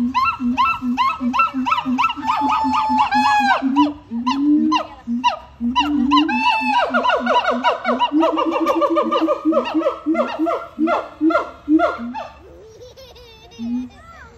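Siamangs call loudly with rapid, repeated barking hoots broken by rising, swooping whoops.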